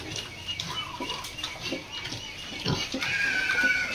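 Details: A lame breeding sow with an injured leg on a farm gives a run of short, rough grunts at an uneven, quick pace, then a louder, higher squealing call through the last second.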